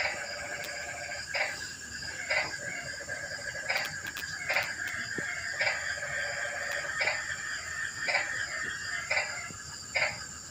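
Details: Frogs on a rainy night: a string of rough, clipped croaks comes about once a second from more than one animal, backed by a persistent high insect hum.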